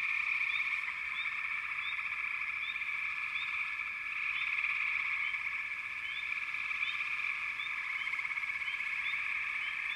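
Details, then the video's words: Many frogs call at once, a constant buzzing trill with small sharp chirps rising above it at irregular intervals, slightly louder around four seconds. "Frogs - Nature Sounds"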